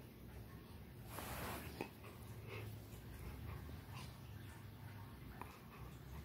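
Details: Rottweiler playing with a toy indoors: a low, steady rumbling growl running through the middle seconds, with a short burst of rustling noise near the start and a few soft knocks.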